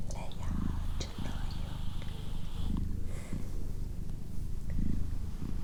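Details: Purring of the female house cat Doroti: a rumbling drone that rises and falls in regular cycles about a second apart, accompanied by gentle whispering and light tapping sounds.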